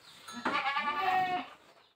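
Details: Goat at a Boer and Jamunapari crossbreeding session, giving one sustained, trembling harmonic bleat lasting about a second before fading out.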